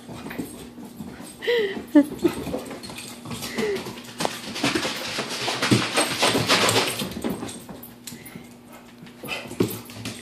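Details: American Bulldog indoors during an early morning run around the house; high, wavering whimpers and whines near two seconds, then a long stretch of scrabbling paws and thudding movement, with a few more short whines near the end.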